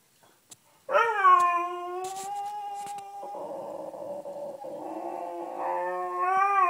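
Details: Sniffer, a Beagle at home pleading to join people on the bed, lets out a long sustained howl lasting over five seconds, turning rough and grumbling in the middle before rising again at the end.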